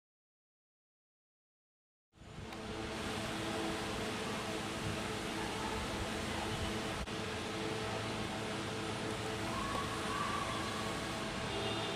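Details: After two seconds of silence, a steady broadband hum like traffic or a fan fills the rest, with no clear animal calls.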